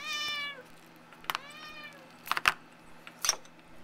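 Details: Two house cats indoors around an empty cat food tin, one licking it hard; two drawn-out, harmonic-rich meows, the second bending upward, followed by sharp clicks and taps of the can.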